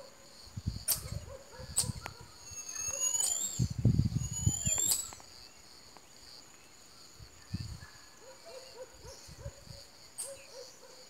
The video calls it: Canto do macaco saguí / Singing monkey marmoset